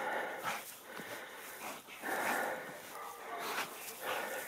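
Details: Farm-guarding Sarplaninac facing a badger, giving rough, broad, noisy barks in three or four bursts about a second apart over a steady hiss of background noise.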